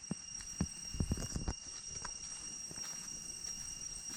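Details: Cicadas in deep jungle along the trail back from Chhay Yong Waterfall, Areng area, Koh Kong Province, Cambodia: a steady, unbroken high-pitched drone with several layered tones. Footsteps thud through the first second and a half.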